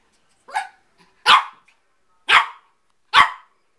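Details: Four-month-old Shih Tzu Bailey playing with his mirror reflection inside: four clear, high-pitched puppy barks, the first softer, spaced roughly a second apart, with quiet between.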